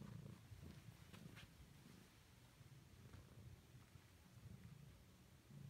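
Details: Gus, a pet cat, plays with a wool dryer ball he prefers to his many toys. A soft, low, continuous rumbling purr runs steadily throughout, with faint light knocks and rustles above it.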